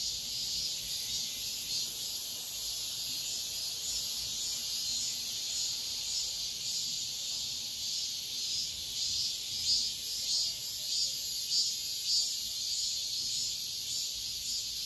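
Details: Many cicadas sing together at dawn in the heat of midsummer, a sustained sizzling buzz with soft rhythmic throbs throughout.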